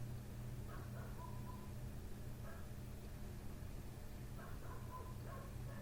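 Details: Nighttime barking from a neighbour's dog just outside a window, ongoing since 1:30 am; scattered short barks come in three bursts, with a steady low hum running underneath.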